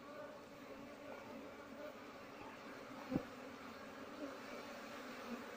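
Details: Asian honey bee (Apis cerana) colony nesting inside an active speaker, smoked to calm it while being harvested and moved, with no queen found; a steady, low droning hum continues throughout, broken by one sharp click near the middle.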